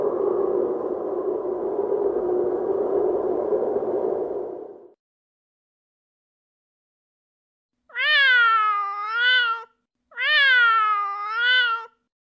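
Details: Candy, a pet cat dressed in a rabbit hat, gives two long meows in a row, each rising and then falling. The pair follows a steady rushing noise that stops about five seconds in, with a short silence before the calls.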